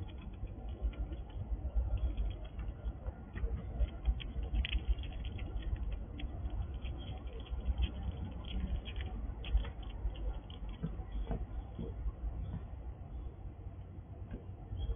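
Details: A wild squirrel at a house, eating dried apples from a sliding drawer, crunches steadily with quick irregular bites and clicks over a low rumble.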